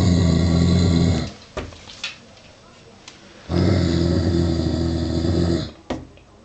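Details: Male Giant Schnauzer of 49 kg growls at a wooden toy sheep with real sheepskin, unsure of it: two long, deep, rasping growls of over two seconds each, separated by a quiet pause with faint taps.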